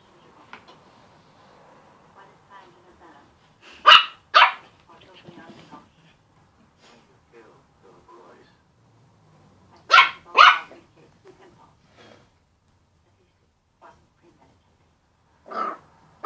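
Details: Puppies playing with a balloon and a squeak toy bark in paired bursts, two loud yaps, a long pause, another pair, then a final bark, with soft whimpers and rustling between.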